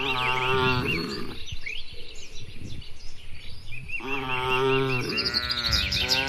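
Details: Cattle herd roaming and grazing in an open rural field: two long, deep, droning moos, one in the first second and another from four seconds to the end, with small birds chirping throughout.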